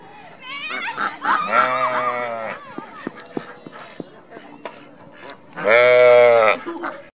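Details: A sheep at Mother Farm in Japan gives loud, deep, tenor-bass calls. There is a shorter low bleat early on and a long, very loud, steady, rich-toned bleat near the end, with people's voices and clatter in between.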